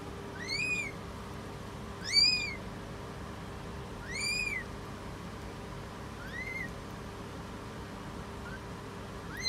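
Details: Thin, arched, high mews with ringing overtones, repeated about every two seconds, four strong then one fainter, from a British Shorthair cat giving birth; steady hum underneath.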